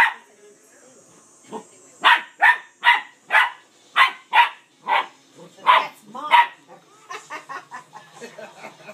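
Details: Pet dog barking at his sister dog, trying to get her to play while she stays stubborn: a rapid run of about eleven sharp barks roughly every half second, then softer yips, with faint voices.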